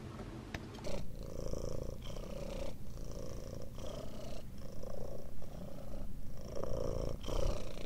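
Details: Tiny chubby kittens Daisy, Darcy and Diesel on the day they first opened their eyes, with a steady low purr running throughout and faint soft rustling above it.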